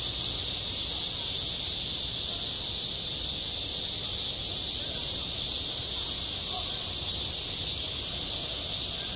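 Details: Midsummer cicada chorus over a school playground. A continuous, shimmering high-pitched drone holds at even volume for the full length. Only a faint low rumble lies underneath.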